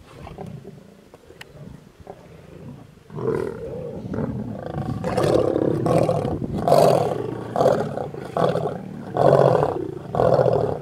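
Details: Mega pride of wild lions feeding on a buffalo on a road near Satara rest camp, Kruger National Park, South Africa; quiet start, then loud rough low roars and growls pulsing about once a second from three seconds on.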